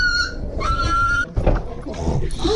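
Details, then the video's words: German Shepherd YG, limping, whimpering at the pet hospital: thin high whines, one held steady for about half a second, then broken shorter whimpers mixed with rustling and handling noise. "German Shepherd Breaks Down Crying"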